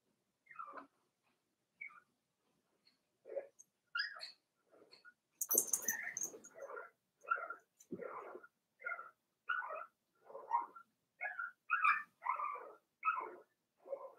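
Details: Four-week-old Cavalier King Charles Spaniel puppies in Daisy's litter, in an indoor puppy pen, give a run of short squeaky whines and yips, nearly one every half second, with a brief noisy scuffle midway.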